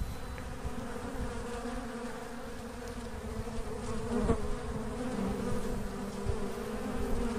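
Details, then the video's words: Asian honey bee (Apis cerana) colony naturally splitting and swarming: a dense, steady low hum with a droning tone and its overtone holding throughout, rising slightly in loudness, plus a few faint clicks. "Apis cerana pecah koloni alami"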